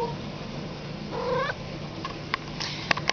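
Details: Cat meowing for a little water: one short, rising meow is followed by scattered clicks and taps, as its owner offers the water.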